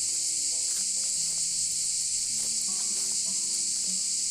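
Cicadas sing in a steady, high, hissing buzz that never breaks, with faint tonal sounds underneath.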